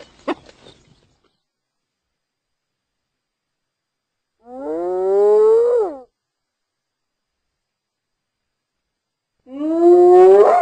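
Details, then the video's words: Hyena giving two long, drawn-out calls about five seconds apart, each a rich harmonic tone that climbs steadily in pitch before breaking off; a brief sharp sound opens the recording, otherwise quiet between calls. "Hyena Sounds"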